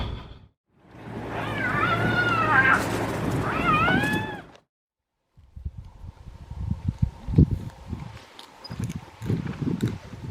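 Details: Spotted hyenas on safari in cool, windy conditions squabble with rising, wavering whoops and yelps over low rumbling, possibly over leftovers of a leopard kill, as suspected; vehicle noise follows.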